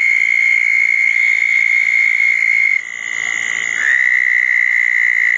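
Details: Southern toads calling around a pair of small ponds following a thunderstorm, June 2014; one high steady trill stops, the background briefly fills with other callers, and then another trill starts at a slightly lower pitch.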